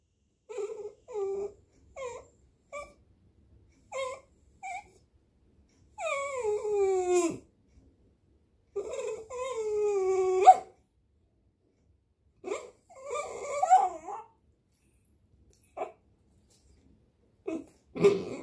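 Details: Peanut, a piebald Dachshund, whines for attention indoors: high, wavering, nasal whimpers with sliding tones, some drawn out and falling, in short irregular bursts separated by pauses.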